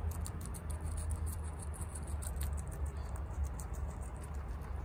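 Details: Pet guinea pig Chia, a female, chomping fresh bok choy at a fast pace. Quick bursts of crackly bites repeat every fraction of a second over a steady low background drone.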